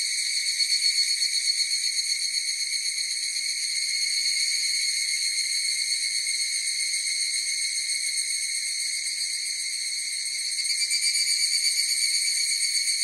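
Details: Chorus of higurashi cicadas, a sustained piercing ringing with layered overtones and rapid pulsing, dipping slightly mid-clip before a fresh surge of song near the end.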